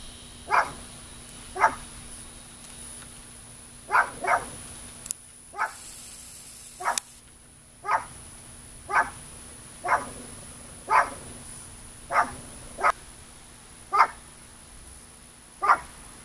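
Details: Guard dog watching over cows, barking in a steady series of short loud barks, about one every second, some spaced slightly wider, with a faint constant hum running underneath.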